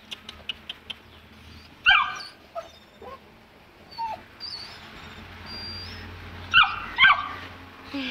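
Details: Two-month-old Saint Bernard puppy, afraid to go down stairs, gives high thin whines and short yips scattered among sharp clicks, with a coaxing voice and faint music behind.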